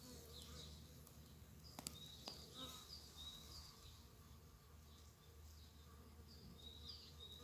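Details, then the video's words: One of the first bumblebees of spring, out among snowdrops and primroses as nature wakes, gives a steady low droning buzz with a fainter higher hum, while small birds chirp thinly nearby and two sharp clicks break in. "Первые Шмели"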